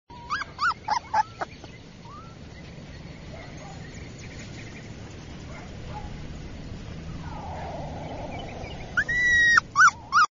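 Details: A purebred Siberian Husky puppy gives high, whining yelps that bend up and down in short bursts.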